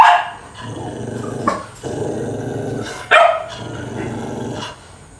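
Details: Dogs fighting: sharp barks break up a continuous low, rough growling.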